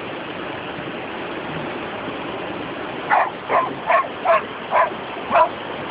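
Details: Poodles playing at the beach. Six sharp barks come in a quick, uneven run over the last three seconds, after a quiet stretch, all over a steady roar of surf.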